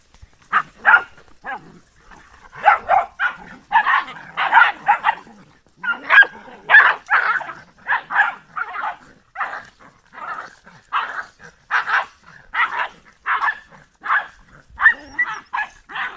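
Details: Giant Schnauzer of the Blackmoore R litter barking steadily: sharp, high yelps repeated roughly twice a second in uneven clusters, almost without pause throughout, over a quiet background.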